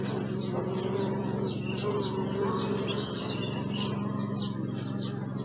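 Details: Droning bees, filmed with a Sony Alpha 6000, make a constant low hum with faint wavering, accompanied by repeated sharp bird chirps high above the buzz.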